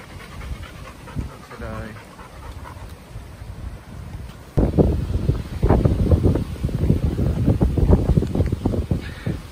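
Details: Bear, a chocolate Labrador Retriever, on a Sunday morning walk outdoors, panting in fast, uneven breathy bursts through the second half after a quieter start, with a human voice briefly audible early on.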